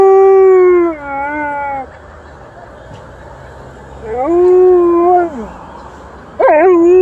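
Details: Alaskan Malamute Liza howling in response to passing emergency vehicle sirens. A sustained, slightly falling howl is followed after a pause by a rising, then dropping howl and a sharp upward yelp-like onset at the end.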